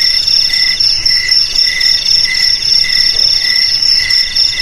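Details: Cricket chirping, used to keep rats out of homes and paddies; shrill pulsed trills in quick bursts, about four per second, over a sustained high ringing tone.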